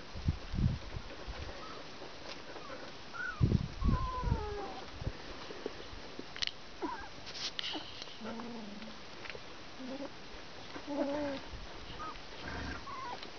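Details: Border Collie puppies from Bajo Aragón at 19 days old, producing drawn-out, wavering whines and squeals that slide down in pitch, mixed with bursts of low bumping and scuffling as the litter moves about.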